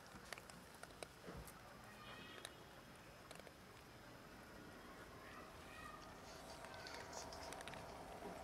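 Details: Starving cats from a huge colony, eight of them, living in poor conditions and competing for food while eating cat food; faint, short meows rise over a steady rustling, pattering feeding noise with sharp clicks and ticks.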